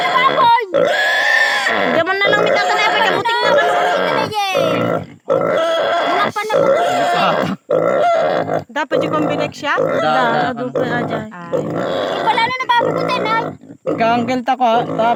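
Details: Native pig squealing during castration: loud, strained harmonic squeals in repeated bursts of one to two seconds, broken by brief silent gaps, with some grunting in between.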